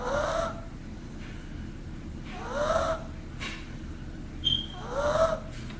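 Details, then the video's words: Sleeping pug snoring: three wheezy, nasal snores about every two and a half seconds, each a breathy rasp carrying a whistling tone that rises and then falls, with quiet room hiss between breaths. "Snoring pug"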